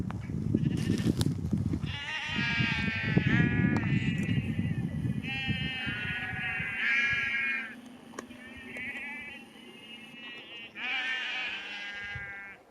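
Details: Flock of sheep driven down a lane to a new field near Cefn Coch, Powys, Wales, 31 March 2021, as a farmer calls them; overlapping tremulous bleats follow one another almost continuously, with heavy low rumbling early on.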